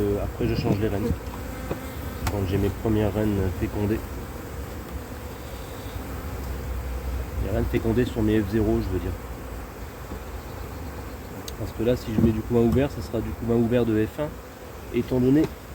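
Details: Continuous low droning of a honey bee colony with drone-laying, checked in cold weather in 2024 after the first matings on splits failed; long calm stretches of hive hum between passages of French speech.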